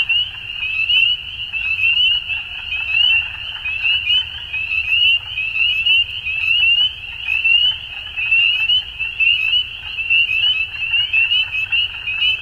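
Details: At dusk, a crowd of frogs keeps up a high, tinkling trill chorus, bursts rising and falling about once per second, unbroken for the whole stretch above a faint low murmur.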